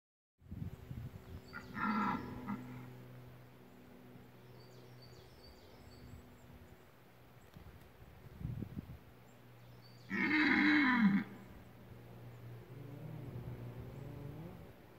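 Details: Red deer during the rut at the OHZ hunting grounds of Lądek Zdrój forest district, Poland: two roars, a short one early and a louder harsh one near eleven seconds, with faint distant bellowing and a low steady hum between.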